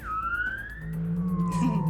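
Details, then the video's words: Humpback whale song, said to be used to communicate with other whales and to find food, heard as long smooth sliding tones: a high whistle rising then slowly falling, over a steady low moaning hum, with light background music. "Humpback whales sing to communicate with other whales and to find food. Let's have another listen."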